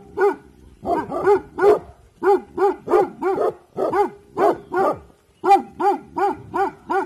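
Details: Evening guarding by the Bhotia dog Dabu Goli, barking in alert: about eighteen rapid, strong barks fired almost nonstop, each an arched harmonic yelp, with one short gap near the end.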